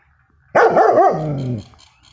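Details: Protective 6-month-old male German Shepherd pup letting out one loud, deep, drawn-out bark lasting about a second, rough and wavering in tone, in a quiet indoor setting.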